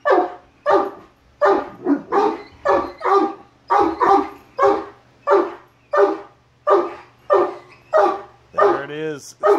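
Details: Great Danes, three males, freaking out at a Halloween mask with rapid, heavy barks repeated about every half second to second, ending in a drawn, whining yelp near the close.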